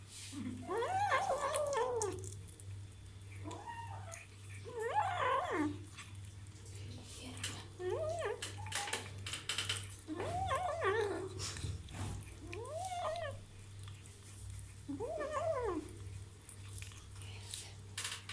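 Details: While eating its first meat, a kitten gives repeated short, rough, buzzy growl-meows in bursts every two to three seconds, set against a steady low hum and faint crackling.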